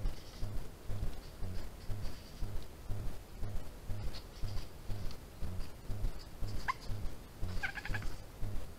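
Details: European badger cub filmed by a trail camera on 16 June 2021, giving two short high, rising squeaky calls near the end over a steady low rhythmic hum.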